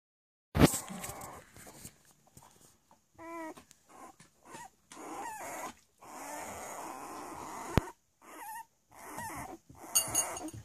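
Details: Three-week-old Cavalier King Charles Spaniel puppies at play, giving low rough growls and a few short rising squeaks between bursts of scuffling and bumping noise.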